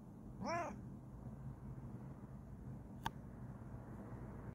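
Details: Kokoa, a Bengal cat, gives a single short chirping meow in the first second, its pitch rising then falling, followed by quiet indoor room tone and one sharp click near the third second.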